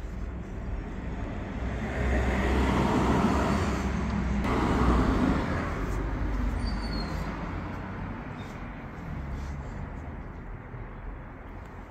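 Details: Steady road traffic with passing vehicles and a low rumble, plus faint speech, recorded outdoors in an urban setting; no animal voice stands out.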